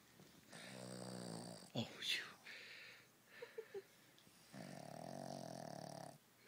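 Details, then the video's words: Tricky the dog snores in long buzzing, droning breaths, one early and one late, while a man's voice talks and a few sharp clicks fall in the gap. "My dog Tricky snoring"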